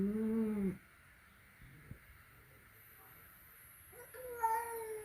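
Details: A flat-nosed cat and a peak-nosed cat meet at home for the first time: a short, strong meow opens, quiet follows with faint knocks, then a second brighter meow rises near the end.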